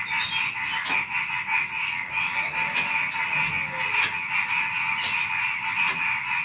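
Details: Pre-dawn night ambience of many small animals: frogs croak in a busy, irregular chorus with loud clicks breaking through roughly every second, while crickets keep a continuous shrill drone; a short falling whistle cuts in midway.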